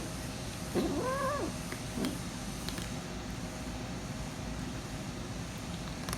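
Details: Hungry kitten guarding her food while she eats lets out a clear wavering meow that rises and then falls, followed by a short softer grunt, against constant low background hum and scattered clicks.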